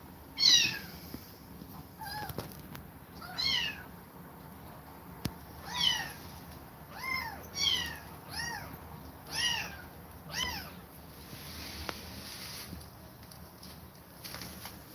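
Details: Rejected kittens, parted from a mother cat that attacked them several times, call in a steady series of arched, high meows roughly every second or two, rising then falling, fading out toward the end.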